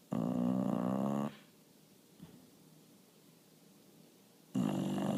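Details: Sleeping bulldog, worn out after barking at a bird through the window, giving loud rattling snores: one long snore, a quiet pause of about three seconds, then the next snore starting.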